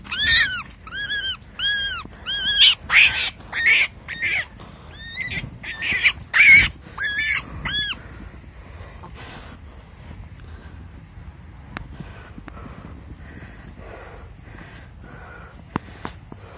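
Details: Baby wild rabbit screaming while being caught: a run of loud, high, harmonic cries in quick bursts over the first eight seconds, then fading to quiet background with faint rustling.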